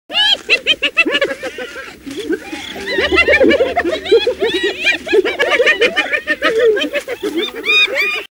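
Spotted hyenas giggle in rapid, high, stuttering bursts that sound uncannily like human laughter.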